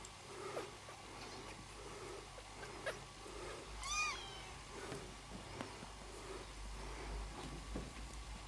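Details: A brief, thin meow from one of Vanille's newborn kittens, British or Scottish breed still unknown, rises sharply near the middle of the clip. Low rumbling and scattered handling noises run underneath.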